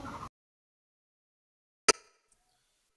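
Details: A brief fragment of speech, then near silence broken by one sharp click, with no animal sound.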